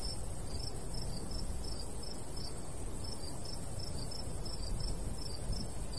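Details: Crickets in summer countryside beside a golden wheat field, light breeze: high, thin chirps pulse rapidly in short uneven clusters over a steady low wind rumble.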